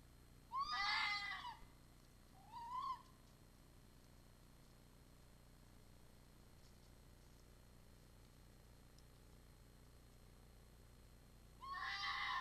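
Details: Red fox calling at night around a restaurant square in Iizuna, 4 December 2020, howling on arrival. Two wavering harmonic wails about two seconds apart, a long pause, then a third wail, over steady background hiss.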